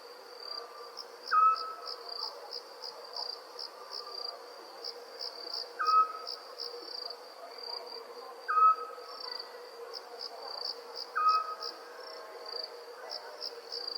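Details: Crickets chirping as nighttime nature ambience alongside owls: a steady high, rapidly pulsed trill runs throughout, while a short whistled note with a faint higher overtone repeats about every two and a half seconds.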